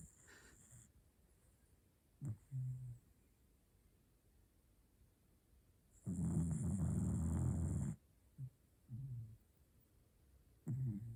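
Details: A dog snoring: low, rough snorts in short bursts about every second, with one longer, louder noisy stretch of about two seconds, over a quiet room background.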